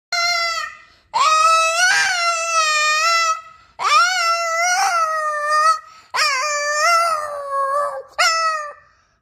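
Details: Boston Terrier howling indoors while singing along to music: long wavering tonal howls in four drawn-out phrases, each rising then sliding and breaking, with short gaps between.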